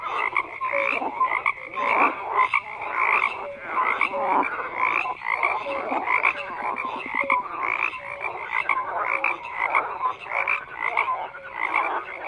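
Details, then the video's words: Frogs croaking in a dense chorus, many overlapping callers giving short pulsed croaks and brief tonal notes, steady and continuous with no other sounds standing out. "FROGS CROAKING"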